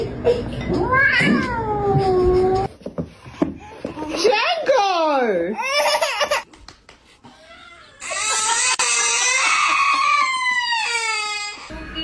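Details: Pet cat giving drawn-out meows that rise and fall in pitch, several in a row, the later ones higher and longer, mixed with people talking and laughing indoors.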